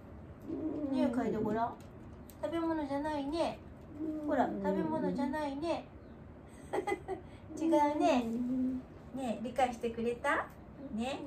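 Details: Wanta, an aged dog receiving home care, voices repeated mournful groans indoors in the morning, a string of wavering, rising-and-falling moans of about a second each with brief gaps, plus faint clicks between them.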